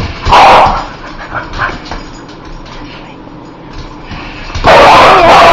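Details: Barks from a dog that hates spiders: one sharp bark near the start, a long quiet stretch with faint rustling, then a loud burst of barking at the end.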